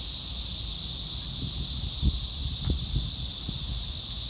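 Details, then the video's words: Cicadas in chorus: a dense, unbroken high hiss that holds steady throughout, with a few soft low thumps and taps underneath. "매미들의 합창?!"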